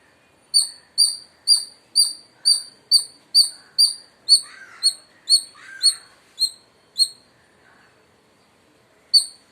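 An Indian palm squirrel gives a fast series of sharp, high chirps, about two per second.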